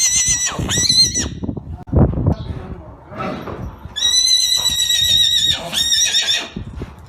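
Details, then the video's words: Arabian horse neighing: two loud, shrill whinnies, each falling then holding a high quavering tone, the first short, the second long and sustained, with scuffing and snorting sounds in the gap between them. "صوت صهيل الحصان"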